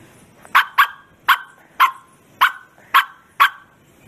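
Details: Bearded Collie. A Bearded Collie gives a string of loud, full-throated barks, each a short explosive burst. The barks come at a slightly uneven pace, about one every half second to second, with quiet gaps between.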